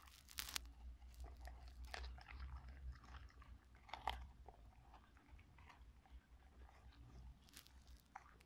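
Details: A male Cocker Spaniel eats a pepper, chewing with loud wet crunches and bites at irregular intervals.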